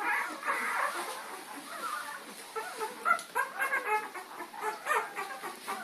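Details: Puppies chasing Lady on April 4, 2013, giving rapid, overlapping high-pitched yelps and whines during play, bursts coming several times a second against a steady hiss.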